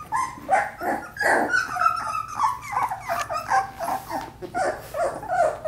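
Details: Several four-week-old Australian Labradoodle puppies at play indoors, a busy tangle of short yips, squeaky whines and soft growls overlapping in quick irregular bursts, roughly two or three a second.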